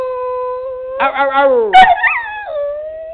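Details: A Bedlington Terrier singing with a sustained steady howl that swells into a wavering, tremulous wail. A brief rough yelp follows, then the howl settles on a long, level note.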